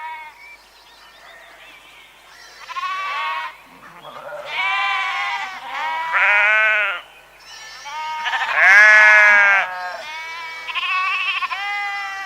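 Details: Several sheep-like bleats in a row, tremulous nasal baas about a second long rising and falling in loudness, with quiet gaps and a faint lower voice in between.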